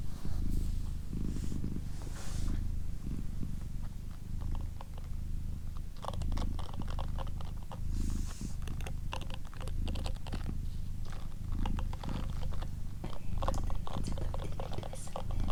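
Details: Domestic female cat named Doroti purring at close range: a continuous deep rumble pulsing roughly every second and a half, joined by soft whispering and small clicking mouth noises.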